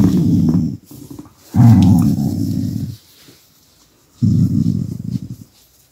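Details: Indoor pet dog, unhappy when its massage stops and with a camera too close, gives three deep, rough rumbling growls of one to one and a half seconds each, separated by short quiet gaps.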